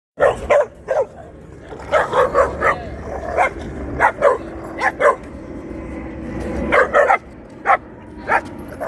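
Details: Puppies playing aggressively: a run of short, sharp yipping barks in quick bursts, some clustered in threes, with low rumbling growl between them and brief pauses.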